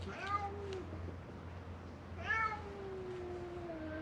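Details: Feral cats at a closed-down building on Mare Island Naval Shipyard, Vallejo, California, crying in hope of food: two drawn-out meows, the second long and falling, with a steady low hum behind.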